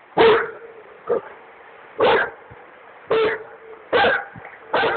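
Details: On a duck hunt at the Drina River, Republic of Srpska, Bosnia and Herzegovina, a Dogo Argentino gives six loud gruff barks roughly once a second, separated by softer short woofs, over a steady low hum.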